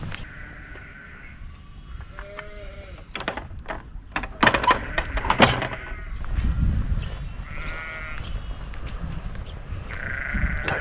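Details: Many sheep in a countryside field where brown hares are being sought; several separate bleats with strong harmonics, near the start, around eight seconds and at the end, over low wind rumble and scattered knocks and handling sounds.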